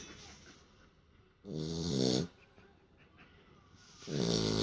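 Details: Sleeping Beagle, resting after play, snores indoors: two long rasping inhalations with harmonic bands, separated by about two seconds of quiet breathing.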